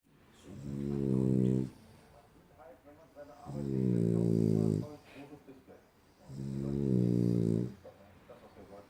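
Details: A sleeping French Bulldog snores in a human-like way: three long, low, rumbling, buzzy snores, each about one and a half seconds, coming roughly every three seconds with quiet breathing between.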